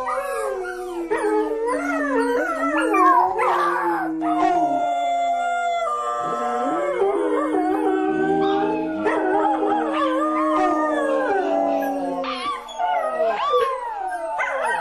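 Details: Chorus of howling dogs, many tonal voices layered together, long held notes with sliding and wavering pitch, interspersed with short yips, continuous and loud throughout.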